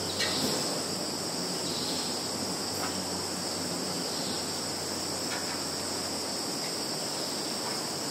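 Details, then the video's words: A field of calling insects in Kaluga region, Russia (Zhukovsky district), 11 September 2019, filmed on a Samsung Galaxy: dense sustained high-pitched buzzing trill, even in loudness, with faint scattered clicks. "Sounds of insects in field"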